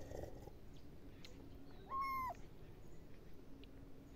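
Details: A cat's single short meow, clear and slightly falling at its close, amid quiet indoor room noise.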